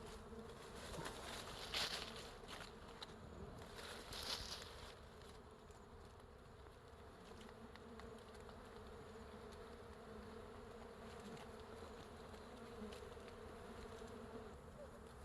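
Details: Honey bees swarming over a large wild hive that hangs from a tree branch in natural forest, giving a steady low droning hum with a constant tone throughout, and brief louder rustling bursts near two and four seconds.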